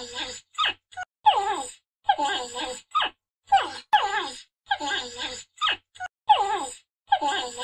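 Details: Porcupine of the family Hystricidae giving harsh, moaning whines in short bursts, each with falling, wavering tones, separated by brief silences in a quiet indoor-sounding setting.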